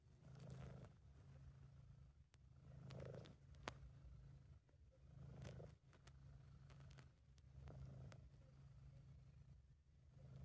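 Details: British Shorthair cat Sabu purring while relaxed and happy: a low, even rumble rising and falling in breath cycles roughly every two and a half seconds, with occasional faint clicks and rustling handling noise.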